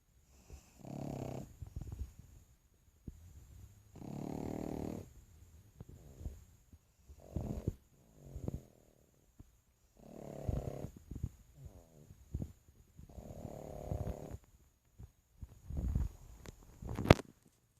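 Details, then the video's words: Sleeping pug snoring indoors: rasping, rumbling snores in bursts of about one to two seconds, with pauses between breaths and a sharp click near the end. "Pug Snoring"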